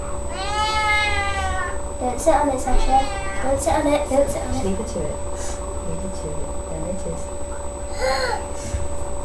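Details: Domestic cat Sasha giving birth to three kittens on May 14th 2011: a long drawn-out harmonic meow of about a second and a half, then wavering cries mixed with human voices and a short sharp cry near the end, over a steady electrical hum.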